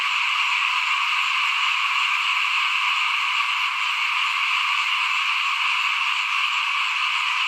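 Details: Front-of-house frog chorus heard while rice is sown for planting in 2021: a steady, seamless mass of high trilling calls from many frogs, otherwise quiet.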